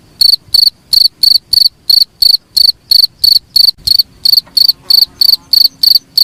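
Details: Steady, piercing chirps from a cricket, each a short pulsed buzz, repeated about three times a second; intended as a training sound for songbirds, with a faint low hum behind.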